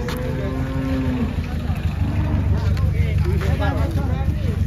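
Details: Giant cattle coming down from a truck: a long, steady, low moo that holds for over a second, then fades under a constant deep engine rumble, with voices and faint clatter following.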